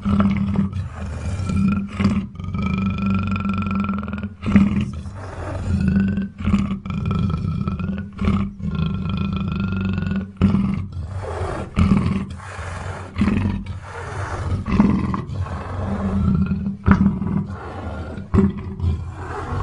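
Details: Big cat growling steadily: a continuous deep, rumbling drone throbbing in uneven pulses for nearly twenty seconds, with faint higher tonal streaks riding over the rumble.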